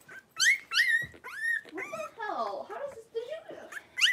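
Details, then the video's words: Three-week-old blenheim Cavalier King Charles Spaniel puppies, a litter of five, wrestle in their home pen. Sharp rising squeaks and thin whines slide up and down in pitch, mixed with low grumbles and little yips close to the microphone. "3-Week-Old Cavalier Puppies Wrestle and Play Live"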